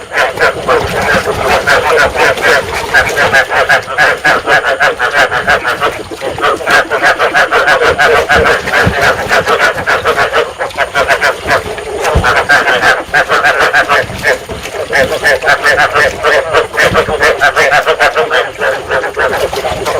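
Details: Rice field frogs calling to stimulate breeding, a sound played to lure and trap frogs; a dense chorus of many overlapping croaks, rapid pulsed notes repeating about three times a second without pause throughout.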